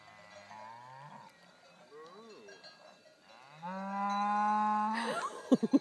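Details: A cow advancing on people standing near its field, with a few short wavering grunts before a long, steady, loud moo rich in harmonics, ending in rapid knocking sounds.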